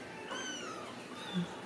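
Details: Ragdoll kittens raised in a home cattery in central Kansas; a single soft, drawn-out meow with a gently falling pitch, while a woman speaks quietly nearby.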